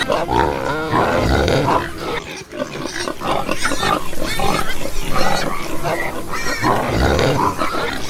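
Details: Farm pigs grunting deeply and continuously, with rapid low pulses and occasional higher squeals breaking through a dense chorus of animals.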